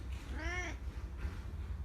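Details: One brief, arched meow from a pet cat, under half a second long, over a strong low rumble of background hum.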